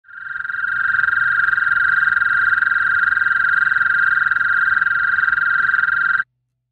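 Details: A male American toad (Anaxyrus americanus) in Ontario gives a long, steady, high musical breeding trill, unbroken for about six seconds, calling in breeding season (late March to early June), inflating its throat to resonate.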